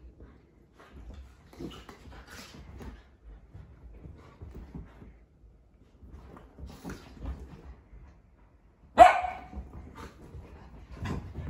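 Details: Scottish Terrier and Cavapoo dogs Skeeta, Barney and Rory playing together in a mad five-minute zoomie session; soft scuffles and patter of paws, then a single sharp, loud bark near the end, followed by quieter movement.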